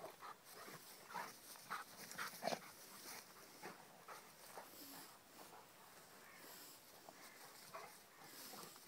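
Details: Rhodesian Ridgeback playing with another dog; short scattered yelps and snuffly bursts cluster in the first three seconds, then softer breathy noises continue at low level.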